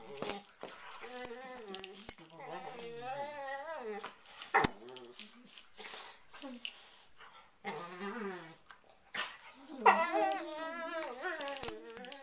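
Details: Pair of pet dogs in a playful prey-predator ritual on a bed before going to sleep; sustained warbling whines, snarls and growls overlap, with bumps and rustling of bedding between calls.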